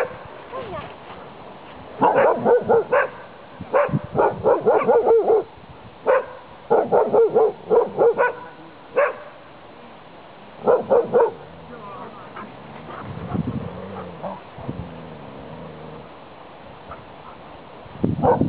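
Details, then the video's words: Saluki barking while romping through a fence: clusters of sharp barks in short bursts separated by quiet stretches, about two per second within bursts, with low human voices audible in the pauses. "Barking saluki"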